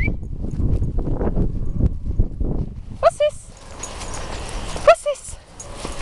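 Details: Sax, a Patterdale Terrier awaiting a new home at RSPCA Macclesfield, playing; human speech fills the first half, then two short, sharp, high yapping barks follow about two seconds apart.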